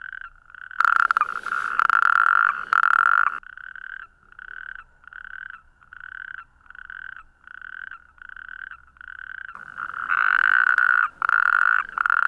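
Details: Natterjack toad. A natterjack toad calls with a loud, rattling, ratchet-like trill, delivered as a rapid series of short bursts. Louder, overlapping trills at the start and end suggest other toads calling close by.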